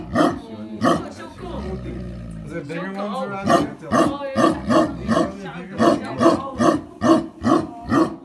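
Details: Tibetan Mastiff giving a steady run of deep, rough barks, about two to three per second, each a harsh broadband burst with a low throaty core, after a brief lower rumbling growl near the start.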